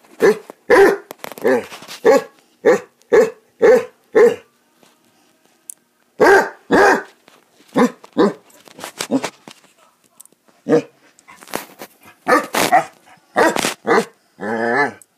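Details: Basset Hounds barking while playing, bursts of deep, harmonic barks in quick runs, a fast series in the first four seconds, then a pause and irregular clusters of barks and yelps.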